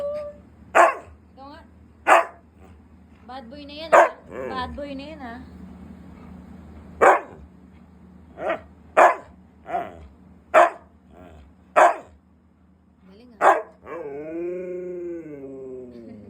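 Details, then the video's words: Siberian husky kept at home, upset at not receiving treats, lets out a string of loud, clipped barks roughly every one to two seconds, ending in a long, wavering, harmonic whine-like vocal, with Filipino speech throughout. "batang galit kapag hind binigyan ng treats"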